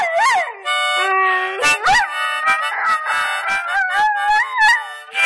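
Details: Domestic dog singing along with harmonica playing, long sliding howls that swoop up and down over steady reedy harmonica chords.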